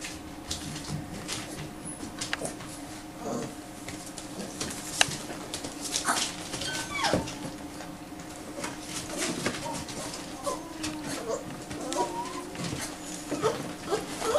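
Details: Five-week-old American Bulldog x Staffy puppies, making short, thin whimpers and squeaks scattered through the clip, with scuffling and soft background noise indoors.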